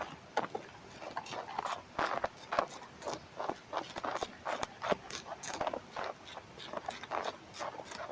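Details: Chewing of Manduca sexta larvae on a tobacco plant at home in Germany, summer 2023, captured by a headphone microphone placed on the leaf: sharp, irregular snapping bites and crackles over a faint rustling background.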